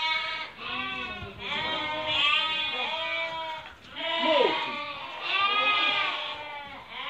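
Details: Merino sheep offered for import from Hungary, picked over by a buyer from Türkiye: a chorus of overlapping, wavering bleats from several animals, one rising and falling after another with brief dips between.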